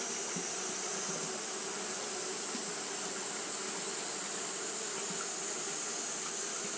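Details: Japanese honey bees fanning continuously on a hot day; a dense steady hum with a band near 400 and another near 200, under a bright hiss high up, unbroken throughout.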